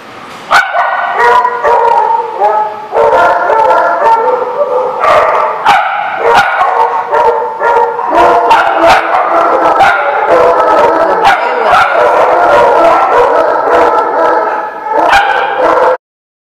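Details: Dogs recorded on 2/1/16 bark and howl almost without pause, several voices overlapping in loud, sustained, tonal howls broken by sharp barks, ending abruptly.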